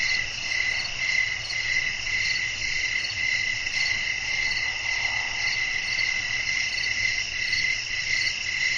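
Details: Evening nature ambience of chirping crickets with wind: a continuous high metallic trill beating steadily near twice a second, with a faint softer murmur in the middle range around the midpoint.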